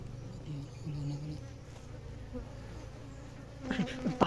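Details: Wild honey bees in a forest of Marinduque, Philippines, where honey is taken from beneath large rocks; a low, steady droning hum throughout, rising in loudness near the end, with scattered human voices and rustling.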